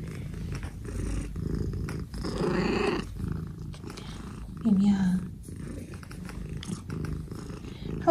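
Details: A 15-year-old senior female cat at home purring in a steady low rumble throughout, with a short tonal meow midway and a brief one at the end, while a person talks softly over it.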